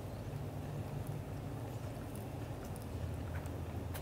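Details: Leo, a black golden British Shorthair father cat, showing affection to Mimi, the mother cat, indoors; a steady low rumbling purr with fine rapid pulsing runs throughout, with a few faint high clicks.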